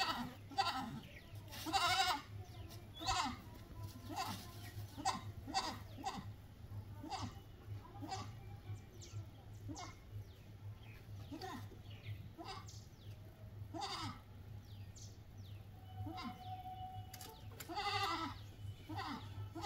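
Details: A goat herd calls repeatedly: frequent short and long nasal bleats, some wavering, from several animals, with faint bird chirps and a constant low-pitched hum underneath.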